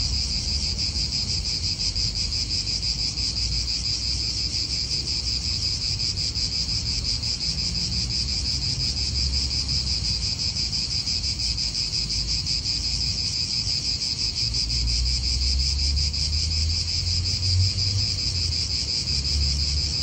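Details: Continuous high-pitched cicada buzz in an Italian park, unbroken and finely pulsed for the full length, with low wind rumble swelling near the end.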